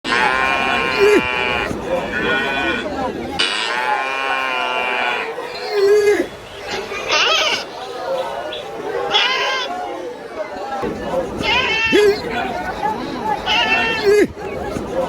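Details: Cow. Several loud, sustained moos from a cow swell and fade in pitch, each with a strong, buzzy tone. Human speech and other background sounds are mixed in between the calls.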